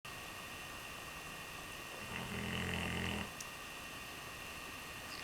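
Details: Redbone Coonhound asleep and snoring: one low, rumbling snore lasting about a second, heard faintly indoors against a quiet background hiss.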